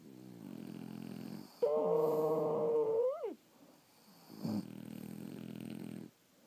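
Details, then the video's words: French Bulldogs asleep, one letting out a steady whistling snore that bends upward at its end, framed by softer, rough rumbling breaths before and after a short silence. "Snoring French Bulldogs"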